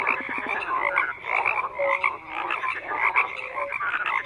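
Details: Croaking frogs in a thick continuous chorus, rattling and nasal calls layered over one another with occasional clear short tones, level rising and falling irregularly.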